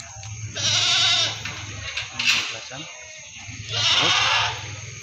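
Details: Meat goats at the Singosari animal market in Malang: two wavering, nasal bleats about three seconds apart, mixed with a steady low hum and a brief sharp noise between them.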